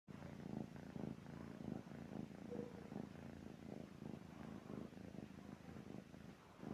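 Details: Sleeping cat snoring indoors: soft, low rumbling breaths pulse steadily through the whole stretch, each breath a short throaty burst, with no other clear sounds.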